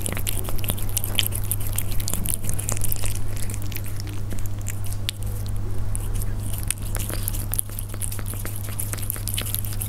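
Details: Persian cats eating up close: steady stream of small bites and crunchy chewing clicks across the whole stretch, fairly even in loudness, backed by a continuous deep hum.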